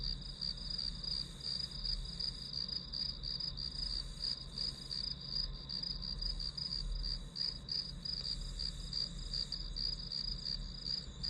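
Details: Shrill, evenly pulsed chirps from grass insects as white noise for studying, repeating close to three times a second without pause, a low steady hum behind them.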